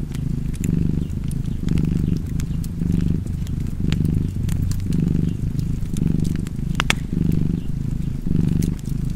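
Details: Continuous cat purr, deep and throbbing, pulsing in breath cycles a little over a second long, with scattered crackling and snapping from a fire in the background.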